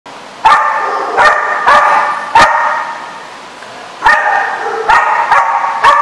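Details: Dogs barking at a dog facility, sharp harmonic barks in bursts, roughly seven loud barks spaced irregularly over six seconds with a quieter stretch in the middle.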